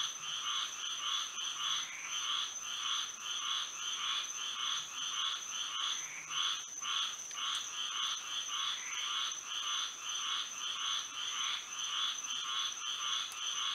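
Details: Moonlit Florida night with a frog chorus: quick repeated croaks from many frogs overlapping in steady waves, close to two per second, over an unbroken high-pitched background tone.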